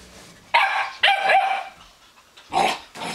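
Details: A young Weimaraner puppy harassing an older Weimaraner to take her better bed gives sharp, harsh barks broken by a rougher, drawn-out growling yelp.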